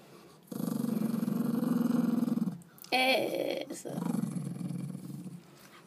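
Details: Grumpy, drowsy yorkie-schnauzer mix dog, hiding in a dark bathroom to sleep after a walk and lunch, gives a sustained low rumbling growl, a brief sharper vocal burst, then a fading softer grumble.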